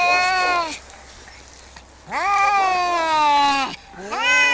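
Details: Cats fighting: a drawn-out, harmonic yowl, then a pause, then a longer wavering yowl that rises and slowly falls. A third yowl starts near the end. The background is quiet.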